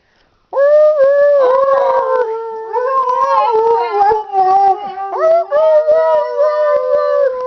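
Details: Group howl of big dogs with a 12-week-old Alaskan Husky pup nearby, 19 February 2011; several overlapping sustained howls at different pitches, sliding and wavering, forming a continuous chorus with faint yips and short breaks.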